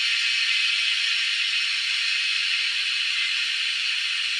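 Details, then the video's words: Wild cicadas producing a continuous, intense, high buzzing hiss, unbroken and even in loudness throughout. "Hunting cicadas || Making crazy noise in the wild"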